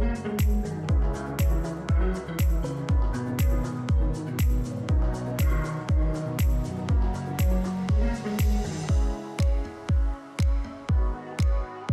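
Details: Steady electronic dance music with a pounding beat about twice per second, deep bass and bright synth layers, with no animal sound present.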